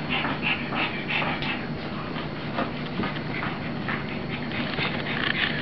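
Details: Rosie the puppy, playing with her mother, gives rapid breathy pants, roughly three a second, with faint high whines against a steady low hum.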